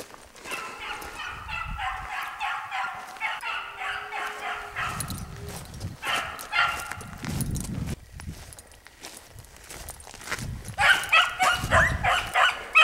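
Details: Hunting dog named Gypsy running a hare in open rural country on a spring run, giving bursts of rapid, ringing bays, about three a second, with pauses, footsteps and rustling between bursts.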